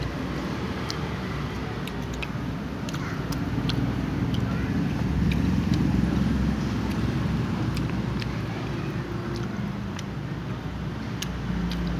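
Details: Steady low rumble of passing vehicles and traffic, with scattered sharp clicks and faint voices, and no animal calls.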